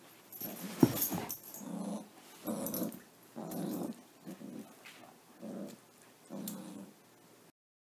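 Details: Haley, a Labrador Retriever kept as a pet, makes a series of short low whimpering and growl-like sounds indoors, about eight bursts in eight seconds, separated by brief pauses, with one sharp click near the start.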